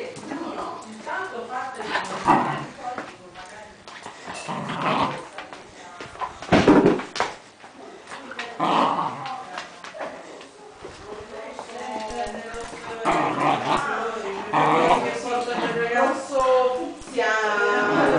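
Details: Fox Terrier named Mila, a pet dog, giving low growls and whimpering whines, with tonal, wavering whining late in the recording, over frequent human speech throughout.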